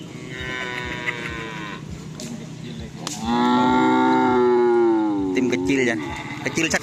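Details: Cattle at karapan sapi bull race training in Asemanis field, Pamekasan, Madura, Indonesia: a short moo, then a long loud resonant bellow that rises and falls over about three seconds, with music and clatter around it.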